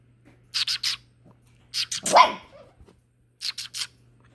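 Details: A Great Dane giving short barks in quick bursts of three, then a louder yelp-like bark, then another group of three; a steady low hum underneath and a person talking to the dog around it.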